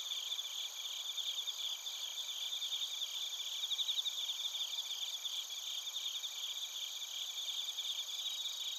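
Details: Bell crickets and other crickets singing in Narita, Chiba Prefecture, Japan, recorded on a TASCAM Portacapture X8. Fast, tinkling pulsed chirps continue without pause and peak near four seconds, with steady high insect drones underneath.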